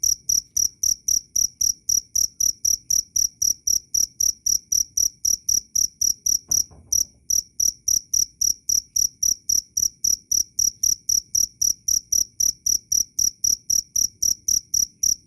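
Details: Cricket giving a continuous series of shrill, high chirps at roughly four per second, with one brief pause and a soft thump midway, otherwise steady and clean.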